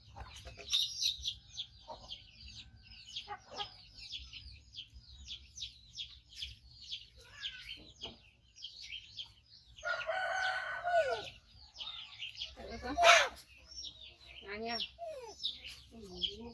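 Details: A hand-reared five-month-old baby monkey, male, rescued from a hunter, cries for food while waiting on its carer: a run of thin, high squeals, followed later by human voices and clattering with a few falling-pitch whines.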